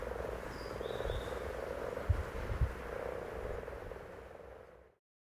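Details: Low, pulsing purrs from several common frogs, with a couple of sharp knocks near the middle. A brief bird note comes early, and the sound ends abruptly in silence.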